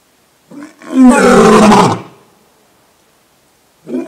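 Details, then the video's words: Lion of the African savanna roaring, a call used to mark territory and communicate with the pride: a short low grunt, then one loud, rough, broad roar lasting about a second, and a faint grunt starting at the end. "Les secrets du rugissement du lion 🦁: libérer la puissance (cri du lion) | Lions Roaring Compilation"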